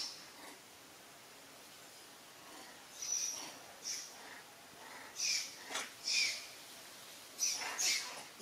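A monkey gives thin, high squeaks and short shrill bursts, repeated in uneven clusters.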